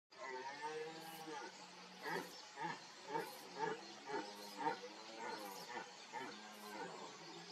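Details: Red deer during the 2021 rut in the Barycz Valley, Poland, calling from reeds, heard before being seen: a run of hoarse, harmonic roars pulsing about twice a second after a longer drawn opening note, in a quiet outdoor setting.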